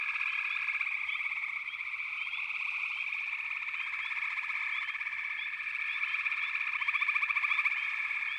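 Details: Chorus of many frogs in backwater, a shrill unbroken trilling drone dotted with short rising chirps, and a nearer pulsing trill rising toward the close.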